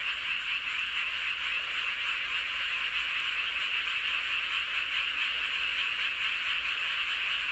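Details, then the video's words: Massed frog chorus beneath the full moon at Seowon-myeon, Hoengseong, Gangwon Province; many overlapping high-pitched croaks merge into a constant, even drone with no pauses and no other clear sounds. "보름달 아래 개구리들의 합창"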